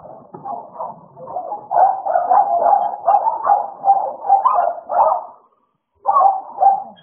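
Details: American Bully pair Idol and Alice in a play session, making a low growl that builds into a steady run of rough, rapid barks, a half-second pause, then another growling burst.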